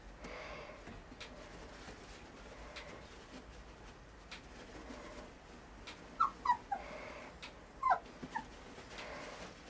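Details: Border Collie offered for sale, giving a few short high whimpers and yips late in the clip, each sliding downward, over steady indoor background hiss.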